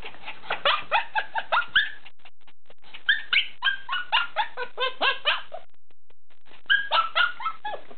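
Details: Bernese Mountain Dog puppy yelping indoors: bursts of sharp, high, falling yips and whimpers in quick series, pausing briefly near the middle before another run of yelps at the end.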